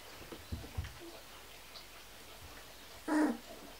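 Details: Kuvasz puppy from a 16-day-old litter, giving one short, tonal whine near the end that slides downward, after soft faint thumps and shuffling sounds.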